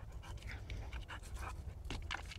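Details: Playing Boxer dog panting hard: short raspy breaths in uneven bursts, some with a throaty, voiced edge near the end, over low background rumble.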